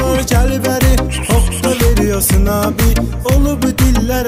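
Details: Loud rhythmic dance music with sliding sung or synth notes over a strong repeating beat, without any animal sound.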